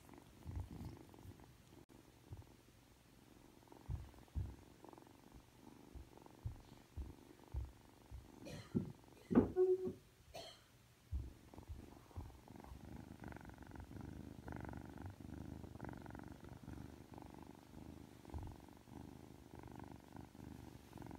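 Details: Aki, a freshly woken three-month-old Ragdoll kitten showing affection, moves through scattered soft taps and rustles and one short squeaky chirp near the middle, then settles into a steady, even purr for the last several seconds.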